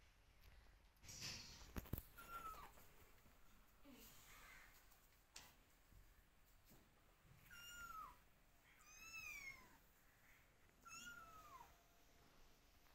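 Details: Kittens meowing and calling their mother, who keeps her distance and watches; a few thin, high, downward-sliding meows are spaced across the clip, with clicks and soft background noise between them.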